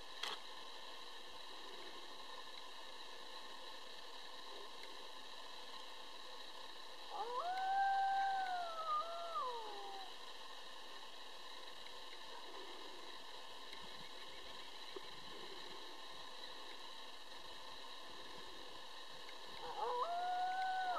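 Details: A coyote pack of roughly twelve animals howls. A wavering, bending howl with harmonics rises and falls for about three seconds, a quieter stretch follows, and then another howl begins at the end over a constant droning hum.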